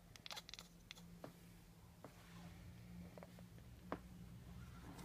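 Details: A female cat chatters in frustration at pigeons on a neighbouring roof she can't reach, a quick burst of dry, clicking stutters, then a few scattered single clicks over a steady low indoor hum.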